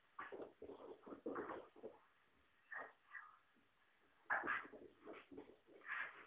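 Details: Bodhi, a puppy, wrestling with her best mate Ozzy, another dog: bursts of rough growling and grumbling snarls in quick clusters, with short gaps and a few louder, higher yelping growls near the end, indoors.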